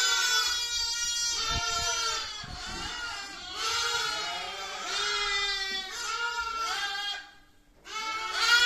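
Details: Baby sheep bleating in a run of wavering, harmonically rich cries, several overlapping calls with a short gap before a final loud bleat.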